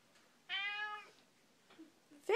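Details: Pet cat meowing while conversing with its owner indoors: one steady harmonic meow lasting about half a second, a couple of faint low sounds, then a louder rising meow at the end.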